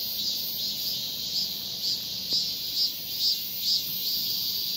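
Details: Shrill droning buzz of a male cicada summoning a female, its loudness swelling in steady, evenly spaced beats about every half second.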